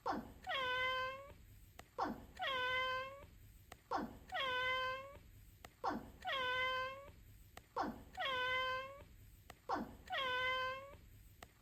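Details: Domestic cat meowing over and over in a repeating loop intended as a prank: regular, nearly identical meows roughly every two seconds, each a long, slightly falling tonal note after a short rasp, quiet background.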